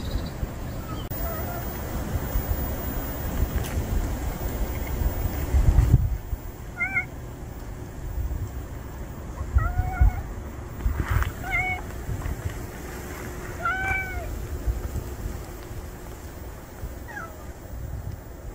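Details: House cat Juhwangi and stray cat Norangi finally sharing a room; after a few seconds of low rumbling background, five short, tonal meows come at uneven intervals over about ten seconds, with some soft thumps between them.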